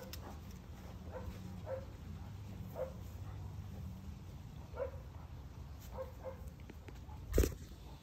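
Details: Basset hound puppy Henri, unsure about macaroni, making soft short grunts and faint whimpers at irregular intervals of one to two seconds over a steady low hum, with one sharp knock near the end.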